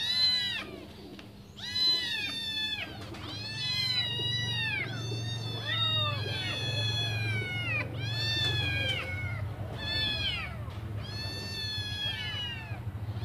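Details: Five hungry kittens waiting for their mother to return and feed them: high, overlapping mews arching up then falling, several voices calling at once in irregular bursts, with a steady low hum underneath.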